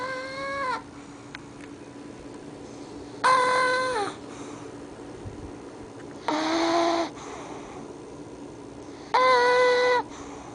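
Each breath of the sleeping English Bulldog puppy comes out as a thin, squeaky, whine-like whistle that dips slightly at the end. The snores repeat about every three seconds over a low, steady background hum.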